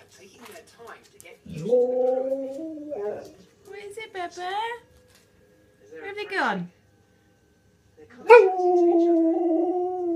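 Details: An Alaskan Malamute–husky cross answers wolves howling on a TV programme with drawn-out, wavering howls and yodelling 'talking' sounds.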